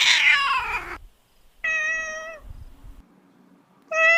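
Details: Domestic cat (kitten). A young kitten meows three times in short bursts. The first cry is shrill and falls in pitch, the next is a steady, nasal mew, and a third begins just as the recording ends.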